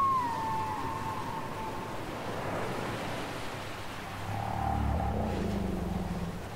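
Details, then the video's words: Whale singing from a cassette tape: a clear whistled note opens high and slides gently downward, followed after a pause by a deep, rumbling moan that swells and fades against constant low background hiss. "Les chants secrets des baleines"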